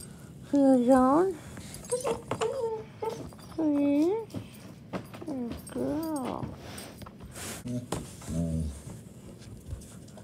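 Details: Daisy, a German Shepherd puppy, whimpers at bedtime on 15 May 2021: a series of bending, wavering whines with short pauses between, indoors with faint background noise.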